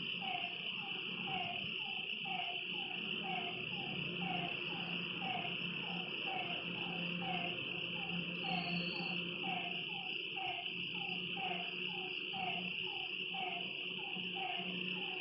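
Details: Night chorus by a lake: a frog repeats brief falling notes in a long, steady series, a little under two per second, while insects keep up an unbroken high trill and a faint low hum sits underneath.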